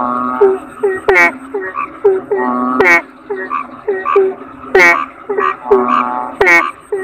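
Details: Kodok bangkong toads produce short nasal croaks and drawn-out, reedy rattles, several animals answering one another in uneven bursts with brief pauses, punctuated by sharp clicks.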